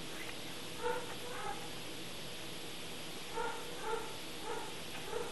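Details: Puppy Rhodesian Ridgeback protesting ear taping with quick, high yips, a pair near the start, then a run of several more toward the end, over continuous background hiss.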